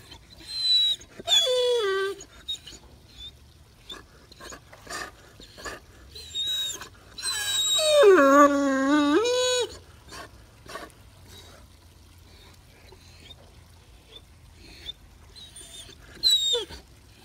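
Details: Max, a Great Dane relaxing while sitting in a pool, sings: drawn-out whining howls with rich stacked harmonics, one rising and falling near two seconds, a longer wavering wail around eight to ten seconds, plus short squeaks and splashing water.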